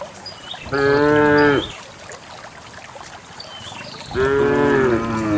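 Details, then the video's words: Herd of cows heading down a grassy hillside into a green valley; two strong harmonic moos about three seconds apart, the second falling in pitch, with soft bird chirps between them. "the cows descend the green hill, the sound of a cow"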